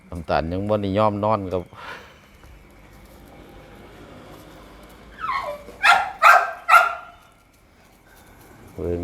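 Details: Grown Pit Bull pup, offspring of a brown mother dog, outdoors on a hot sunny day with a cool breeze off a pond; three short, sharp yelping barks in quick succession, with a man talking before and after.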